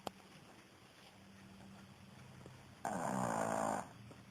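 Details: A female Pekingese sleeping breathes with a soft, low snoring drone, then one louder rasping snort.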